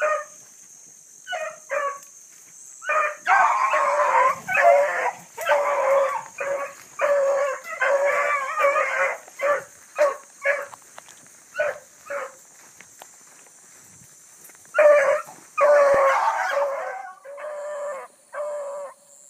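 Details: Bluetick Coonhound pack running a big rabbit hard early on a July morning in 2012: long stretches of loud, overlapping howling bays and choppy barks, with a high insect drone throughout.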